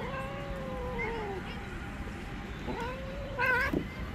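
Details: Angry female tabby cat living on the street, annoyed at being touched: two long, sagging moaning yowls, the second rising sharply at its end, over steady low background hum.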